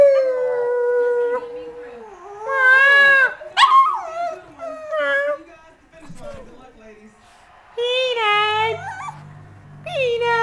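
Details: Brussels Griffon pet dog 'singing' indoors in a living room where four dogs play. Sustained, wavering howl-like tones that slide and warble, with rising and falling yelps in between. Human voices and a low hum are also heard.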